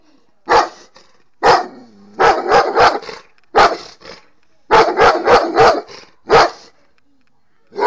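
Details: Barking Egyptian dog. Loud, harsh barks arrive in bursts, some single and others in rapid series of three or four, with short silent gaps between the volleys.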